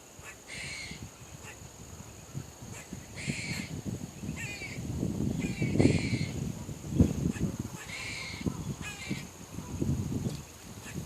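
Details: Barking squirrel giving about eight short, rasping, harsh bursts spaced unevenly over several seconds, over a steady low rumble of background noise.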